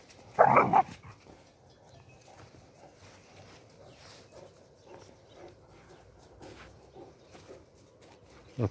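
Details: Spanish Mastiffs playing on a farm in the white morning frost, 17 January 2021; a single loud, deep bark bursts out near the start, followed by near quiet with only faint rustling.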